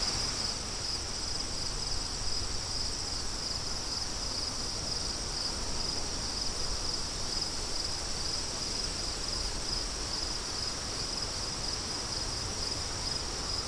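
Crickets trill steadily and high-pitched over a constant rush of wind.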